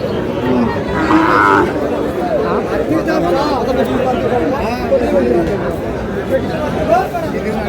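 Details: Brief moo from a Sahiwal bull calf at a busy Chattogram cattle market: a short, harmonic low call early on, buried among constant overlapping voices of buyers and sellers haggling.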